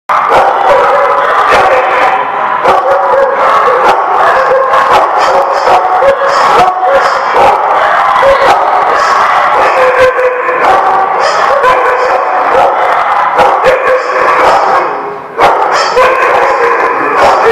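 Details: Many dogs barking at once, recorded January 20, 2017: a dense, unbroken wall of overlapping barks and yelps with sharp clicks and knocks throughout, briefly dipping near the end.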